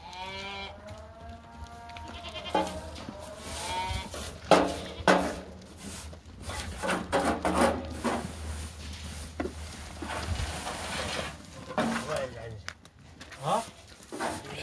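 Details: Laroui goats, a Moroccan breed, in a herd of sixteen or seventeen: a long, wavering, nasal bleat rises and falls over the first two seconds, followed by sharp knocks, clattering and bumping, with faint background music and men talking.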